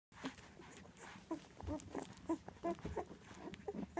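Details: Two nine-day-old Labrador retriever puppies, eyes still closed, from a litter of five bred for assistance-dog work; soft, short squeaks and grunts come in quick irregular bursts, several a second, over low rustling and bumping.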